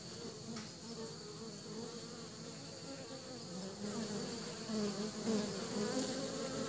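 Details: Honey bees bringing pollen back to their nest: a continuous, low, droning buzz with steady humming overtones that swells slightly louder toward the end, over a faint constant high hiss.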